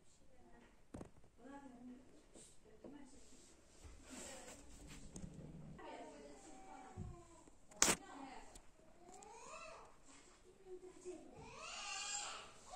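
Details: Kitten visiting a house as a guest, meowing in a small room. Several harmonic mews rise and fall, clustered near the middle and end, with a sharp knock partway through and quiet background noise.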